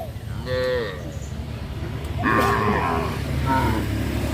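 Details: Cows being herded along a country road by a farmer, giving two drawn-out, harmonic moos, the second louder and rougher, over a low rumble of background noise.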